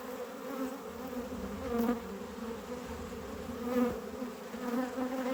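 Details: Steady drone of a honey bee colony at a hive being harvested, frames full of honey; a low, even hum with faint higher buzzing that swells gently a few times.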